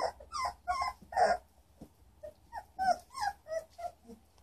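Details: A litter of three-week-old German Shorthaired Pointer puppies in Eugene, Oregon, April 2013, moving about; softer whimpers and short nasal squeaks come in a loose series, a few slightly louder cries among them.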